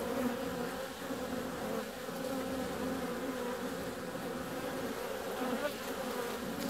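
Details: Honey bees out flying on a warm February day: continuous dense buzzing with a steady hum, slight swells in loudness, no other clear sounds.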